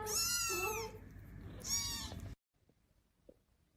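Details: Domestic cat giving two loud, drawn-out meows, the first about a second long with a bending, wavering pitch, the second shorter after a brief pause; near silence follows with only faint soft knocks.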